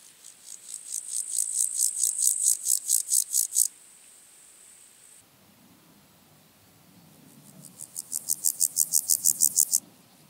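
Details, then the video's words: Water-meadow grasshopper singing at Andechs, Germany, 21 September 2018, ultrasound detector: two high-pitched rasping phrases of rapid, crescendoing pulses, separated by a faint steady hiss and a quiet gap. "Pseudochorthippus montanus -- Sumpfgrashüpfer -- Water-meadow Grasshopper"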